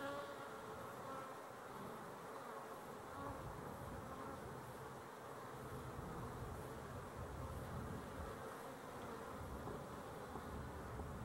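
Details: Continuous hum of honey bees on 12-11-23: many wingbeats blending into one low, even drone with slight swells in loudness, faint overtone bands above, and nothing else clearly heard.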